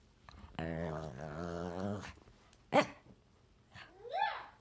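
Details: One of two dogs ganging up on their owner lets out a steady low grumbling moan for about a second and a half, then a sharp click, a brief pause and a short rising whine.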